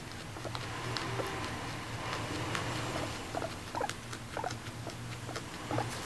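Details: Female guinea pig, adopted at one and a half years old, eating grass with its keeper and calling out. Soft, short squeaky chirps come in the second half over steady munching and rustling.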